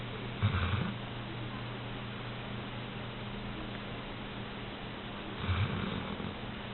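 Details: Sleeping Old English Sheepdog bitch snoring in bed, two deep, grating snore bursts roughly five seconds apart, each under a second long, with quiet breathing pauses between and a constant low hum underneath.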